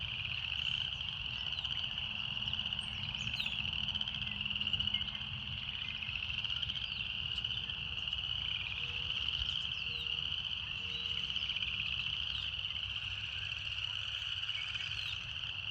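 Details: A relaxing nature scene filled with cicada song: an unbroken, shrill, high buzzing band that wavers only slightly in pitch, joined by a few short faint tones midway and a low background rumble.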